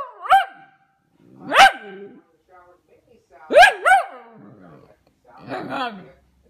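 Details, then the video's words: Pomsky pup Vader talking in a string of bark-like yelps that bend down into whiny groans, some doubled, coming roughly every second or two. "Vader, Pomsky Talkin'"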